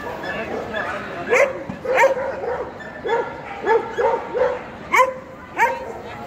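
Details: Champion-class male Pharaoh Hound at the EDS 2022 dog show, barking in a quick irregular series of sharp yelping barks, some paired, over constant background voices in a busy show hall.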